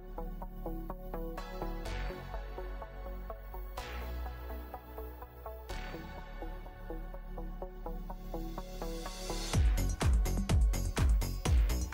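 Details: Upbeat electronic music with a steady pulsing beat, ending in sharp percussive hits; no animal sounds are heard.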